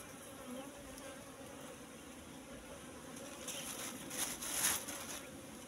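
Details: Asian honey bees (Apis cerana) swarming over a wild nest discovered among bushes, combs full of honey; an even, continuous colony drone, with rustling and crackling from the nest being handled near the end.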